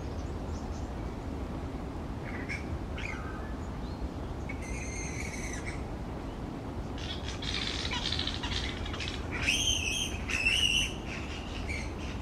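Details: Grey-headed flying foxes in a large tree roost, noisy fruit bats; scattered squeaks give way to harsh, ringing screeches with strong overtones, a burst at five seconds and louder squabbling calls near ten to eleven seconds.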